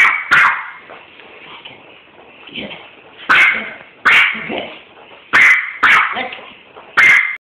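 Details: Domestic dog barking at a skunk ball, phone recording: loud, high, clipped barks spaced unevenly, about seven in seven seconds, sometimes in quick pairs, with softer whimpering sounds in the gaps.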